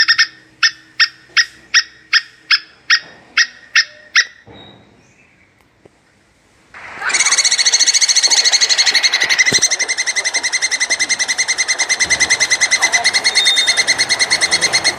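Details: Mating call of a plantain squirrel, or coconut squirrel. It opens with about ten spaced, sharp chips, pauses, then breaks into a dense, steady run of rapid harmonic chattering that lasts to the end.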